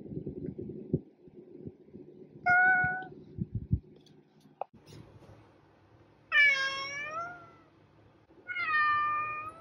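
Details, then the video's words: Pet cat meowing three times indoors: a brief mid-pitched meow, then two longer, rising-then-falling meows spaced a few seconds apart, with clattering and rustling sounds early on. "Cat Meowing"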